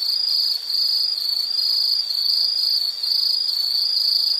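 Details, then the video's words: Insect trilling continuously in a relaxation nature recording, a steady high-pitched shrill band with slight wavering, nearly unbroken apart from brief dips, no other clear sounds. "Nature Sound of nature sounds scenery L · insect"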